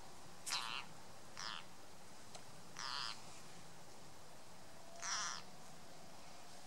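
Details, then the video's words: A green frog gives harsh, noisy scream-like distress cries in short bursts at uneven intervals while being eaten by a grass snake. "Ringslang eet groene kikker hoor ook de noodroep van de kikker. 3:07"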